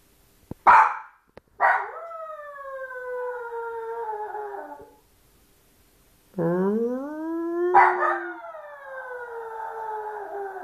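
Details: Small lonely Maltese pup alternating short harsh bursts with long sliding whines; one cry climbs from low to high pitch before a noisy catch and another drawn-out falling wail.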